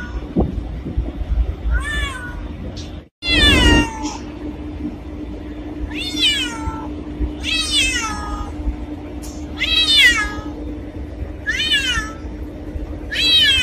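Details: Black cat meowing repeatedly, about nine descending, whiny cries at uneven intervals, one louder than the rest, with a brief break in the sound and a low background hum.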